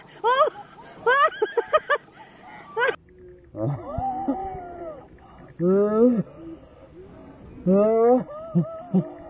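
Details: Excited Dobermann, Roman, greeting his owner's brother after ten days apart, at night in a deserted park: quick high yips at first, then drawn-out wavering whines that rise and fall, with people talking between them.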